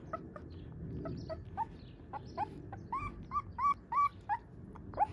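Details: Husky puppy whining in a run of brief, squeaky yips, starting faint and growing louder and more tonal toward the end, each cry a short upward-bending note, roughly three per second, with low rumbling background noise.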